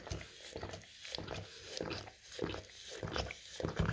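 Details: English cream golden retriever licking peanut butter spread on a rough tile floor indoors: wet, smacking lick strokes in an irregular run, roughly one and a half per second, with no talking.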